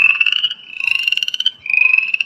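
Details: Upland chorus frog of West Virginia giving repeated rising rasping trills likened to running a thumb along a comb's teeth, three trills back to back over two seconds.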